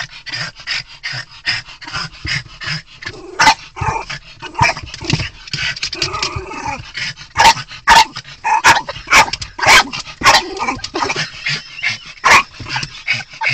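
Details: Choco, a twelve-year-old Miniature Pinscher that hates other dogs, worked up after spotting two dogs: a fast stream of short yips and whining sounds with louder sharp barks breaking through irregularly.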